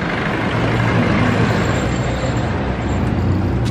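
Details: Steady roar of road traffic with deep engine rumble and a constant broad hiss, no animal voices standing out.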